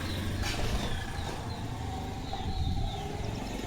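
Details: An idling engine hums with outdoor background noise, and no distinct animal sound stands out.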